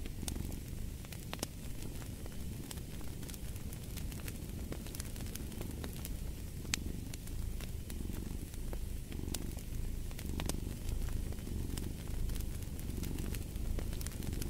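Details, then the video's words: Low purr of a cat rising and falling in slow breathing swells, partly masked by a busy crackling fireplace with frequent loud snaps. "Fall asleep to the Purring of a Cat & Fireplace"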